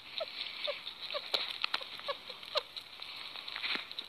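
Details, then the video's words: Short, repeated chirps from a happy sugar glider, about two per second, punctuated by loud sharp clicks and a continuous hiss. "Happy Sugar Glider sounds"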